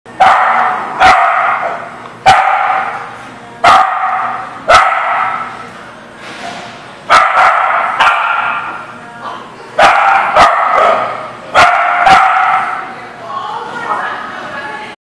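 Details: Dog barking on 3/9/20: a long run of loud, hoarse, fairly even barks, some in quick pairs, with sharp clicking knocks cutting through between them.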